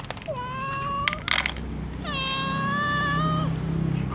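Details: Domestic cats, a tom and a white cat among other cats, meowing to ask to be fed: two drawn-out, harmonic meows, the first short and rising, the second long and level before dropping at the end, over a low steady hum.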